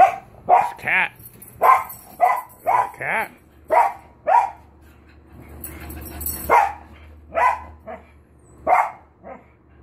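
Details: Cocker Spaniels barking indoors in short, sharp, irregular bursts, about a dozen barks in ten seconds with a brief pause midway; a person speaks nearby between the barks.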